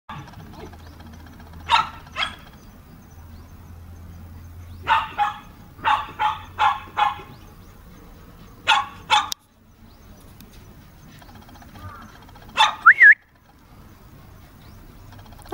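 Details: Toy Poodle puppies playing in the dog run at their house. Short, sharp barks come singly and in quick bursts of three to five, with quiet gaps between them. A high rising yelp near the end. A steady low hum underneath.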